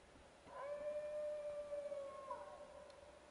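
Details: Wild dogs howling at a camp, heard through steady hiss: a level howl rising in at the start and held about two seconds, joined by a higher wavering voice that dips near the end.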